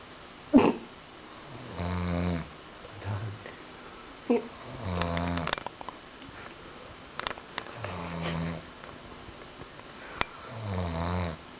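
An English Bulldog snores in deep, rumbling breaths that come roughly every three seconds.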